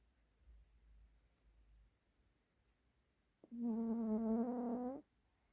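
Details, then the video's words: Pet dog snoring in the morning, loud enough to wake its owner; after quiet room hiss, one steady tonal, whistling snore of about one and a half seconds with stacked harmonics, ending abruptly. "강아지코골이#개코골이때매 아침잠깬 엄마ㅠ"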